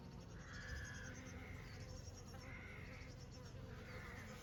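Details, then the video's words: Honey bees in summer: a steady, low droning hum holds throughout, while a few harsh, drawn-out bird calls recur in the background about once a second. "sound effects honey bees in summer"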